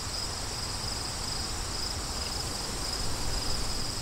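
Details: Crickets with wind, their high chirps coming in short rapid bursts about four per second, a little uneven, over a heavy rumbling wind that grows slightly louder near the end.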